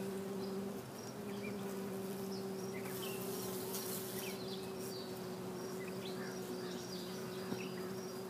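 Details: Honey bees at a backyard hive feeding on sugar water sprinkled over the frames, giving a continuous low droning buzz with a steady wingbeat pitch and higher overtone over a busy colony hum; faint high insect chirps flicker in the background.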